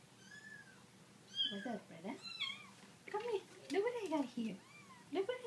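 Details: Kittens met by Prada, an Italian Greyhound, give thin, high mews that arch up then fall, several spaced across a few seconds, over a woman's lower voice talking in a small room.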